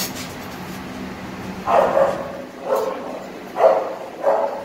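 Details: Brown Tiny mix Teacup Poodle puppy during its first Carre (distemper) vaccination: after a low steady hum, four short mid-pitched barks come about a second apart, each a brief harsh burst.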